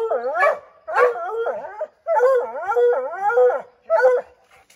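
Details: Redbone Coonhounds bay at a chipmunk treed in an oak, a continuous chorus of wavering, yodel-like howls broken into roughly five long bursts.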